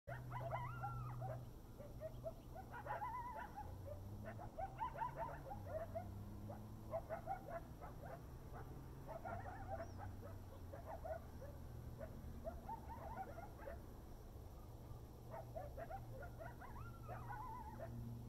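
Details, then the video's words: Coyotes chorus together in wavering howls and sharp yips over a steady low rumble, at sunrise and moonset in November 2019, Desert Hot Springs, California desert. "Coyote songs"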